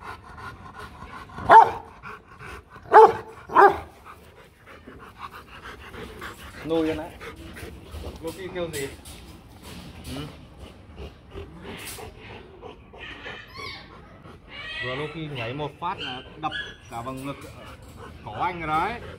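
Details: Rottweiler guard dog from the Rottweiler Gervi kennel gives three loud, deep barks in quick succession early on, then wavering whine-like sounds, panting and human voices fill the rest.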